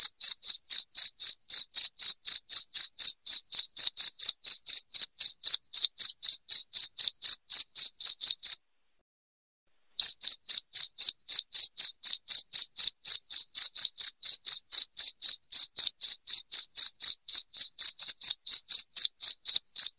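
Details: Continuous loud cricket chirps, high-pitched and regular at about four per second, with one short silent gap midway, otherwise an unbroken clean series.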